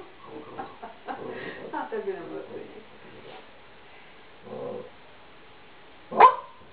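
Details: Golden Retriever vocalizing indoors: a run of whiny, yelping sounds with falling pitch over the first two seconds, a short muffled sound midway, then one sharp, loud bark near the end, with human speech mixed in.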